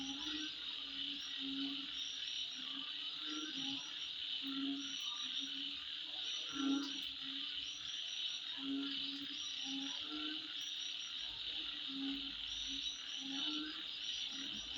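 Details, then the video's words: Night insects at midnight keep up a continuous shrill, buzzing trill, while low, croak-like notes pulse beneath it roughly every two seconds and a few sharp clicks stand out. "Sound Of Insect At Midnight"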